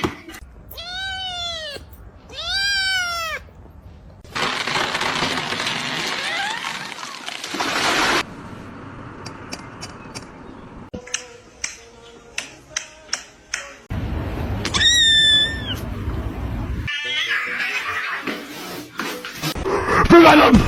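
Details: Kitten meowing: two clear, arched, plaintive meows in quick succession at the start, a long noisy gap with clicks and thumps, then another wavering meow later, with voices and household noise around.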